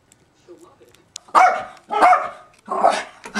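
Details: Zoey, a pet dog, gives three loud, harsh barks about a second apart after a brief quiet stretch with faint softer sounds.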